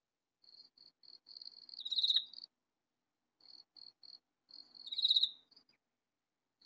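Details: Loud katydid hidden in a vegetable garden gives two harsh, buzzing bursts about three seconds apart. Each burst is led in by a few quiet high ticks.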